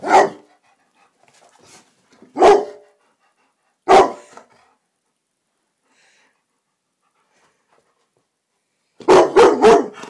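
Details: Indoors in the evening, Rossi the black Labrador Retriever barks at a silk orchid: single sharp barks spaced about one and a half seconds apart, then a tight volley of four barks after a quiet gap.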